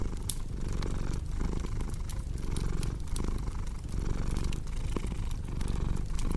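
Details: A domestic cat's soft, rumbling purr pulses with its breathing. Frequent crackling pops from a fireplace sit on top, and the rumble grows briefly quieter near the middle.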